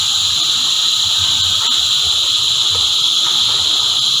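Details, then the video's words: Cicada choir singing as a continuous, dense, high-pitched hissing buzz, steady in loudness throughout with no breaks, several bright bands stacked in the upper range. "Energizing Cicada Choir"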